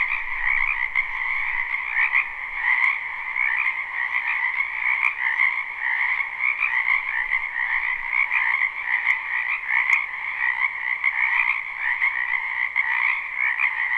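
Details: Dense chorus of frogs croaking in a spring wetland, live and unlooped: a steady, overlapping mass of trilled croaks in two bands, one middle-pitched and one higher, pulsing without pause; a faint low rumble in the first second.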